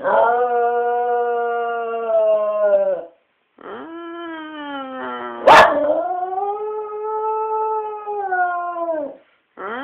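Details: Domestic dog "singing" with sustained, steady howls lasting about three and five seconds, slightly rising then gently falling at the ends. A brief sharp click comes midway, and a new howl begins at the close.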